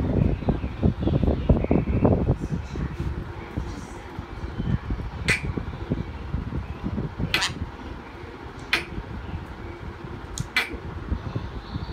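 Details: Low indoor rumble and handling noise, broken by a few sharp clicks or snaps, with no clear animal call.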